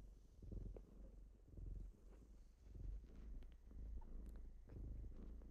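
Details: A morning purr from kittens waking their owner. Deep rumbling purrs swell in clear surges about once a second, each rising then fading, over a quiet indoor background with slight rustling.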